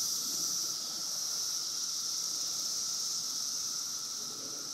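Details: Massed periodical cicadas of the 17-year emergence in Woodbridge, Virginia fill the air with a constant shrill hiss, high and even throughout, underlaid by a faint steady hum; no other animals stand out.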